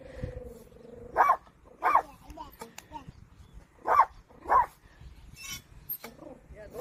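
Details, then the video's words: A puppy guarding a child while grandfather works the farm barks in short, sharp bursts, two close together, a pause, then two more, with a voice faintly underneath. "강아지가 아이 지키기"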